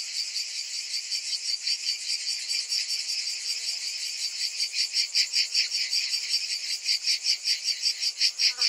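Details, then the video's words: Cicadas in summer: a dense, high shrill buzz throbbing in steady pulses, growing louder and more sharply pulsed toward the end. "Cicadas in Summer"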